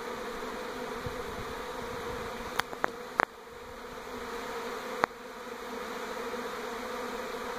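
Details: Swarming honey bees relocating from old hive to new one near a NE Portland home in 2018; constant droning buzz of many insects interrupted by a few sharp clicks or knocks midway and near the end.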